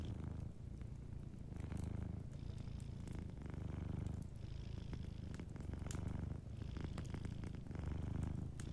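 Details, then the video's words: A sleeping cat's soft, continuous low purr, pulsing in breath cycles about once a second with brief pauses between. Faint fireplace crackle sits in the background. "Warm Fireplace Ambience with a Sleeping Cat 🐱💤Fireplace & Soft Purring"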